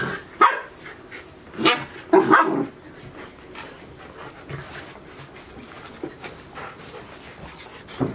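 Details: Chiro's Golden Retriever puppies at Ain Village, 73 days after birth, recorded 7 July 2018. Short sharp yapping barks: a single one, then a quick cluster of two or three, followed by quieter shuffling noise and a faint final yip.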